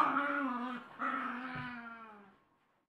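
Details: Dog during a fight in Colorado, giving a sustained, tonal whining cry in two long drawn-out notes that slowly fade, with a faint thump in between.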